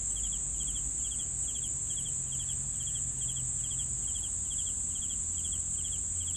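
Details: Crickets chirping steadily: short pulsed chirps repeated about three times a second, over a continuous high, even insect trill and a faint low rumble.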